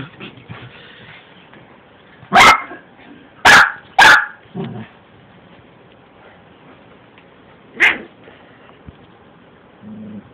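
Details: Pet Yorkshire Terrier going after a Shih Tzu in a scuffle between the two small dogs; quiet stretch, then a burst of three sharp, high barks in quick succession, one more bark later, and faint growling.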